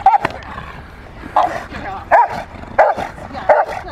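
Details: Freya, a female Rottweiler, playing in protection training on March 18, 2021, gives five sharp, loud barks spaced irregularly under a second apart, with faint human voices in the background.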